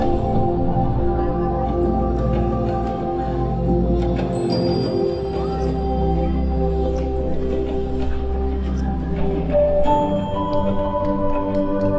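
Sustained orchestral music with bell-like mallet tones and a low drone, with no animal sounds.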